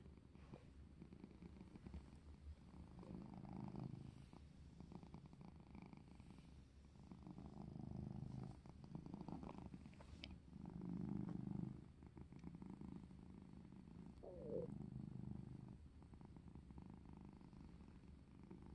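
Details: Domestic cat purring while playing, soft low rumble in slow breathing swells, a brief higher chirp-like note near the end, faint rustles and taps around it.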